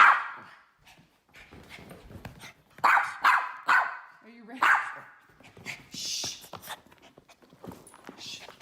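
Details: Teddy, a miniature poodle that hates its harness seatbelt and runs and hides every time, gives a run of four sharp, bright barks in the middle of the clip, with a person talking gently before and after.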